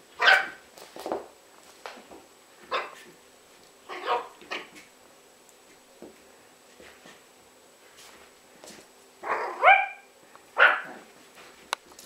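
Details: Yorkshire Terriers Jessi and Megi at play indoors, giving scattered shrill barks and yaps at an uneven pace, with a sharp rising yelp near the end.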